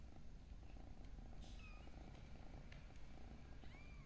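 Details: Kitten giving a constant low purr throughout, with a few faint high chirps or squeaks and light rustling noises over the top.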